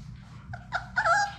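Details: Labrador Retriever puppies, one of a litter of six from Sadie, at play in an indoor puppy play room: a brief whining whimper of short, harmonic-rich notes that rise and waver and grow louder toward the end, over a low steady hum.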